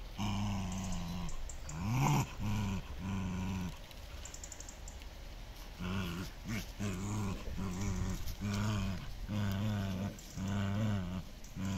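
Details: Two dogs, Miko and Kaela, playing tug of war at a Dutch Shiba Inu and Samoyed kennel; deep harmonic growls come in rough pulses of about a second, broken by a short rising yelp-like sweep early on.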